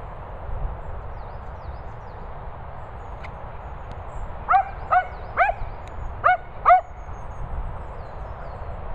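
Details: Cocker Spaniels Daisy, Finlay and Murphy; about five sharp, high yapping barks in two quick bursts midway through, over a steady low background hiss and rumble.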